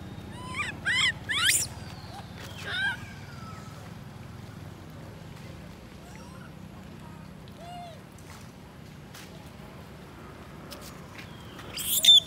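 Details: Lori, a baby monkey left alone by her mother Amari, cries: a quick cluster of sharp, quavering squeals at the start, a few thin chirps in a long quiet stretch, then a sudden loud shrill burst at the end.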